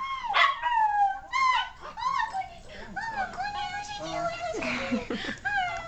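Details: Pet Silky Terrier howling indoors: a run of wavering, rising-then-falling whining howls, each about half a second, strung together with short breaks and overlapping yelps toward the end.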